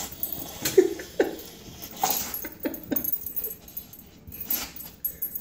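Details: A puppy trying to reach something under a table snuffles in quick, irregular breathy bursts, about two a second, with a couple of tiny squeaky whimper notes mixed in.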